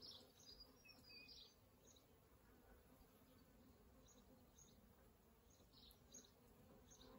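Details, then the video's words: Swarm of wild honey bees at a hive in an old elm at Kyneton on New Year's Day; dense steady humming with intermittent whiny buzzes from bees passing near, strongest in the opening second. "Wild honey bees in old elm tree"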